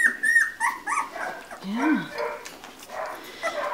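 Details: Labrador Retriever puppies of one litter at two weeks old, filmed 11 January 2016, let out high wavering whines and squeals, then one short rising-and-falling yelp, with a woman speaking between cries.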